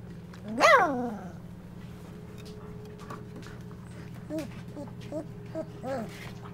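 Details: Golden Retriever puppies, twenty-five days old, in a whelping box on an evening as they learn to walk and interact; one loud rising-then-falling yelp near the start, followed by a few soft, short whimpers over a steady indoor hum.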